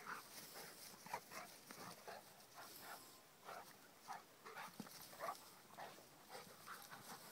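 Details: Kheelo, a Rhodesian Ridgeback, at play alongside his friend Triton. Soft rapid panting is broken by short rough huffs and a few faint whimpering tones, spaced unevenly over several seconds.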